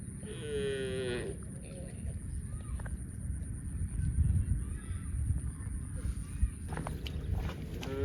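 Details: A cow gives one brief, bright, harmonic moo at the start. Low rumbling background noise and scattered clicks and knocks follow.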